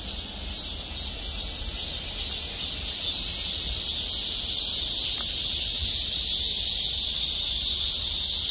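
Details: Loud, dense buzzing from cicadas gathered in trees over the Gwangmyeong City Hall parking lot. It is an unbroken high, hissing drone that slowly grows louder across the clip, with a rapid regular throb inside it.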